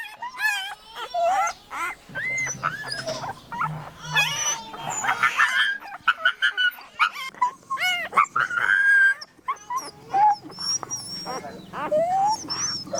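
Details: Farm dogs and puppies heard as many short, scattered yelps and thin whimpers. They overlap irregularly over several seconds with a low steady hum in the background for part of the time.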